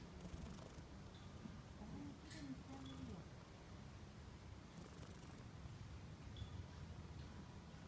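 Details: Friendly, affectionate shrine cat in Japan purring while rubbing against a person; soft low continuous rumble with faint higher squeaky tones near two and three seconds, steady background hum.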